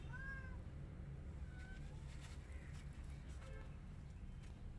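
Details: Angry white cat and a tiny kitten trying to come inside her hut; a few short, high, thin mews, the first two close together at the start, then single faint ones, over a steady low rumble of background noise.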